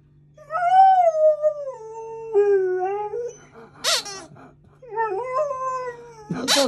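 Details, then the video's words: Maggie, a female Alaskan Malamute puppy, howls and 'talks' while curious but scared of her new squeaky alligator toy: long wavering howls that slide down then rise, in two main phrases, with sharp toy squeaks near four seconds and at the end. "Cute Malamute Puppy Scared Of Her New Toy (Talks and Howls)"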